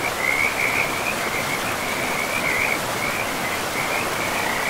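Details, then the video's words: Frogs at a forest river trill in rapid, overlapping bursts of high, rattling notes that run almost without pause, layered over the even roar of the water in a pristine, moss-covered woodland. "River and Frogs sleep sounds"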